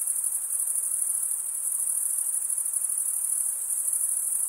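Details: Crickets chirping, mostly males, by running one wing over the comb-like teeth of the other wing; a piercing, rapidly pulsing high trill sounds continuously with steady volume.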